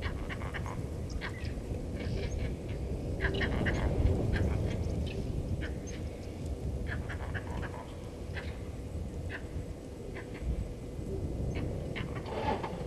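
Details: Vervet monkeys at Gowrie dam waterhole, Djuma Game Reserve, Sabi Sand Wildtuin, South Africa, upset by the male leopard Hosana moving past, 16:52 on 08/04/19: rapid irregular barking chirps, about three per second, over a steady low rumble.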